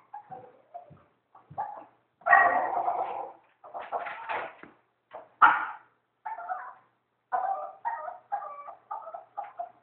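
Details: Maltese puppy nicknamed Critter at a dog groomer, making an odd monkey-like sound instead of whining: a series of short, strained, hoarse yelps and squeals in irregular bursts, some longer and louder, with quiet gaps between.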